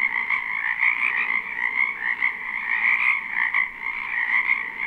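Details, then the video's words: Frogs calling en masse from a wetland in spring, live recording: a continuous buzzing trill chorus with rhythmic surges in loudness, high-pitched and dense, no other sounds standing out. "Ambient Noise for Sleep Frogs"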